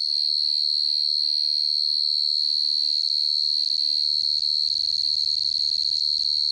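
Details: Field cricket at night giving a continuous high, shrill chirping pulsed at a steady quick rate, while low rumbling and faint knocking noises build up in the second half.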